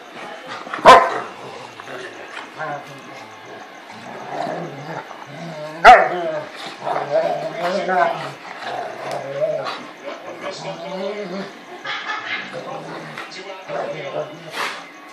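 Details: Play-fight between an American Rottweiler and a 5-month-old South African Boerboel weighing 60 lbs; two loud sharp barks about five seconds apart amid wavering growls and whines, with people talking nearby.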